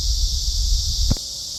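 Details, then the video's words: Cicada crawling in summer, giving a steady high buzz with a short knock near the end over low rumbling handling noise. "crawling cicada. sounds of cicada in summer."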